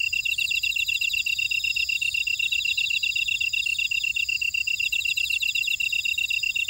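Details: Chorus of grass insects from a buckwheat field in Ora-dong, Jeju, South Korea: an even, rapid high-pitched pulsing tone with layered scratchy trills above it, dense and unbroken for the whole stretch.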